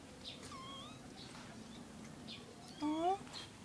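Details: Three kittens with their mother cat: a faint, wavering mew early on, then a short, louder rising meow near the end, while a person talks softly throughout.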